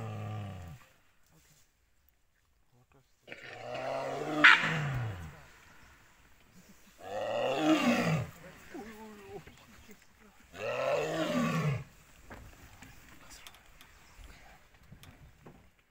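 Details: A Bengal tiger in Ranthambore National Park, zone 10, gives loud, deep roars heard across the jungle, each a few seconds long, with quieter gaps between.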